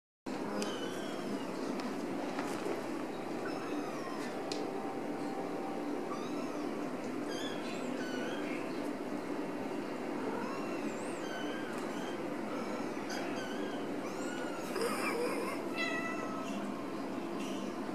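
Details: A Ragdoll mother cat carrying her kitten, with short, high mewing calls that rise and fall, repeated irregularly indoors.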